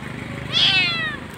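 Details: Abandoned kitten crying alone by the roadside, apparently left behind by its mother or dumped, calling very loudly; one rising-then-falling high meow lasting about half a second, with faint background noise.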